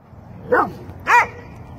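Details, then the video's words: Two sharp barks from Dobermanns playing outside in cold weather, each a short harmonic bark about half a second apart, with quiet background between. "Dobermans Having Some Fun Outside - Cold Weather Play Time"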